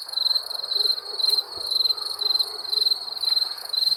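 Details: Crickets at night giving rapid high trills in closely spaced bursts, a short click and faint low thuds breaking in midway.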